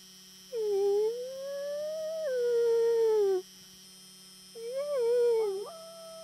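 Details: Friendly wolf howling in exchange with a person: two smooth tonal howls, the first rising then stepping down and fading, the second shorter with a wavering, broken ending, over a steady electrical hum.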